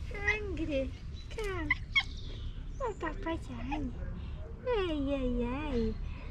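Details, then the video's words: Pet cat with meows likened to a squeaky toy, greeted in the morning and called while hungry for food; several high, wavering meows, the longest near the end sliding downward, over a person's soft, cooing talk. "Cat meowing like a squeaky toy"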